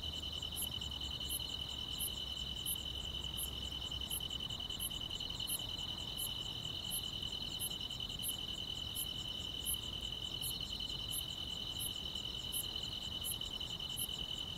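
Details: Summer-night grass insect chorus in the quiet countryside, an unbroken high buzzing trill layered with sharp, very high clicks repeating regularly at roughly 0.7-second intervals; faint low rumble early on.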